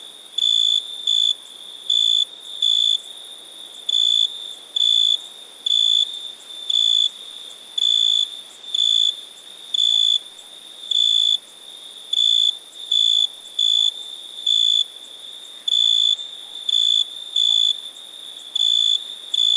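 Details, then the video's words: Long run of cricket chirps, about two dozen short, high, unwavering bursts in an uneven rhythm, often closely paired, over a steady faint high-pitched ringing. "Cricket sound"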